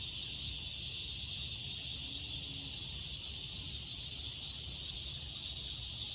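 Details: Summer chorus of cicadas, a continuous high buzzing whine that never pauses, layered with a fainter higher hiss, over a soft low background rumble.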